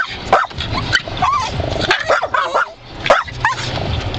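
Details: Pet dog Rocky going after swiping wiper blades, barking and biting; a few clipped yelping barks rise and fall at uneven gaps, with whimpering notes between them and a steady low rumble underneath.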